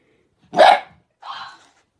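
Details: A single puppy, from a cute and funny pet compilation, gives one loud bark followed half a second later by a softer, higher yelp.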